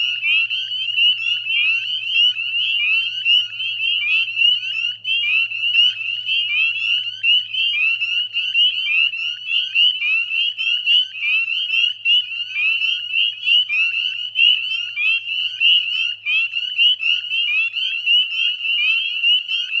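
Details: Dusk chorus of northern spring peepers, West Chezzetcook salt marsh, Nova Scotia, mid-May 2020: countless piercing rising peeps overlap into a steady ringing drone, individual calls flicking above it throughout, a faint low hum fading after several seconds.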